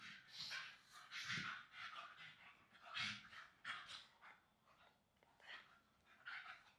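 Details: English Staffy pups wrestling in play on a soft new blanket; rasping huffs and short grunting bursts, a few sharper snorts, irregularly spaced and fading toward the end.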